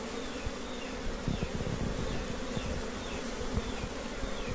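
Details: Honey bees at their nests, with many colonies together: a steady, low droning hum with dense buzzing texture, fluctuating slightly in loudness throughout.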